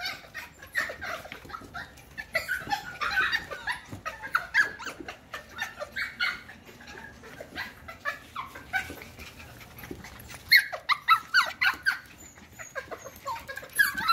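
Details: A litter of F1 cockapoo puppies, Cocker Spaniel mother and miniature poodle father, keeps up constant thin whining and squeaking over a rustling, noisy background. The cries grow sharper and louder from about ten seconds onward.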